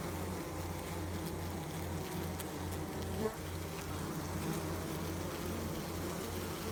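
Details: Honey bee giving a continuous low buzz from its wings, an even humming drone with gentle pulsing and a small louder bump midway.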